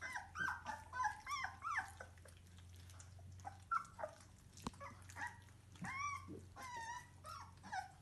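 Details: Squealing and whining from young Bernese Mountain Dog puppies, part of a seven-pup litter born 12 March 2020; short high squeaks, some bending up and down, come in clusters with brief pauses, a constant low hum underneath.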